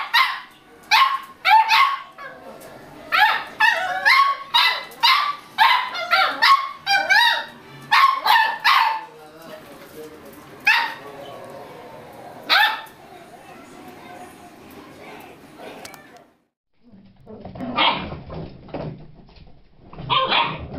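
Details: Several playful Beagle puppies bark in quick, high yips, dense over the first eight seconds, then more scattered. A brief silence follows, then a few more barks over a low background sound.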